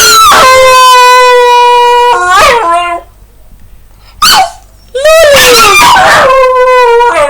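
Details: Indoor pet dog singing along in Finnish-speaking home: sustained wavering howls broken by short yips and whimpering dips, with a brief silent gap before the howling resumes, swelling and falling.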